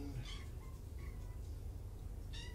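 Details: Afternoon at Purrfect Pals with rescued kittens from two Tacoma litters: two short, high, harmonic-rich mews at the start and end of this brief moment, separated by faint thin squeaks, all against a constant low electrical hum.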